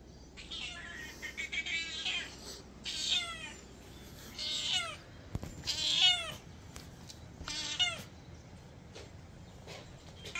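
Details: A mother cat meowing at the door of a house in a village, where she comes for food: bright, harmonic meows that rise then fall, repeated roughly every one and a half seconds, with soft background rustle between calls.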